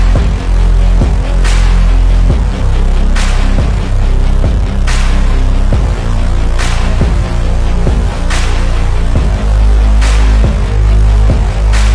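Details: Loud, dark soundtrack music with heavy bass pulses and regular crashing hits, and no animal sound.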